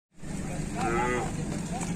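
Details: Cattle described as sulking and angry, not yet fed and being taken to market: a long, steady, low droning moo holds through the clip, while a person talks over the middle.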